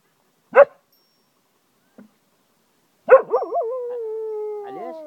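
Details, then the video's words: Cocker Spaniel dog howling like a wolf at home in Ajloun, Jordan: one sharp bark, a faint yelp, then another bark that runs into a long wavering howl, sliding slowly down in pitch with rich harmonics. "cocker spaniel howls like a wolf"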